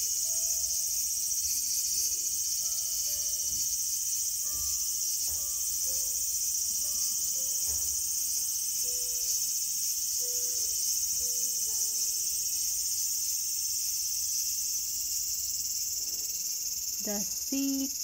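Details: Cicada calling in a small garden on August 5, 2020: a steady, dense high-pitched shrill drone that never breaks, with soft sustained musical notes playing faintly underneath.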